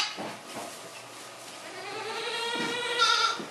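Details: Baby goat bleating: a long, quavering, nasal cry that wavers in pitch for nearly two seconds, preceded by soft short sounds, in a quiet setting.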